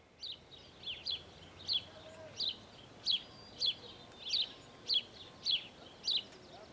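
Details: Prairie dog at Out of Africa, Camp Verde, Arizona, giving a series of sharp, high chirping calls, each a quick falling note, repeated steadily about every two-thirds of a second, over a quiet background.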